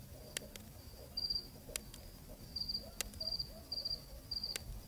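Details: Crickets give short, high, pulsed chirps in irregular bursts on a cool night in Zambia, recorded on location.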